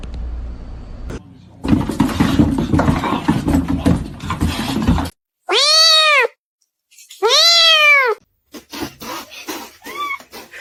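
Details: Cat giving two loud, drawn-out meows, each rising then falling in pitch, followed by a fainter, shorter third; people talk and laugh over background noise before the calls.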